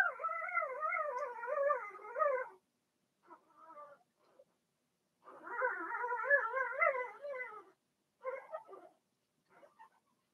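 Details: Blenheim Cavalier King Charles Spaniel puppies from a litter of six, two females and four males born March 7–8, in an indoor puppy pen during potty training; wavering, tonal whines in two long bursts with short, fainter whimpers between.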